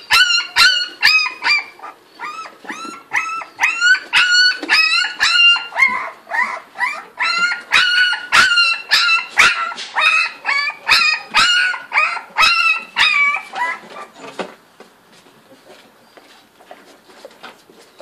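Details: English Springer Spaniel puppies, 30 days old, yelping in a fast run of short, high, sharp barks, roughly two each second, for about fourteen seconds before falling quiet.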